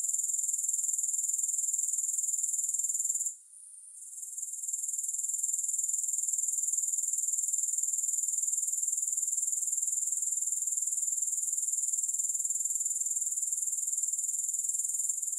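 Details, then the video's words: A sustained, piercing, high-pitched insect trill from grasshoppers, without music, pulsing rapidly and evenly, interrupted once by a brief lull early on before returning steady. "Grass Hopper Sounds"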